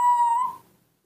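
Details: Hand-reared newborn monkey giving a single steady, clear whistled note. The note holds level for about half a second and then fades out, with no other sounds.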